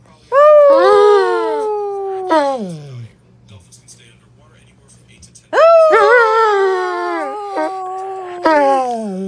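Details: Howling dog in two loud bouts, each starting with a sharp upward yelp, then a sustained tone gently falling in pitch, punctuated by brief breaks and wavering, with a quiet pause between bouts.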